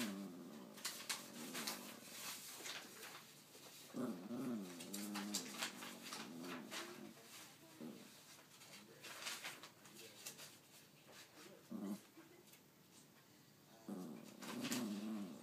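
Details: Pet dog indoors 'talking' to its owner, trying to tell something: several wavering, moaning growl-like vocalizations in separate bursts across the recording, with clicks, rustling and room noise between them.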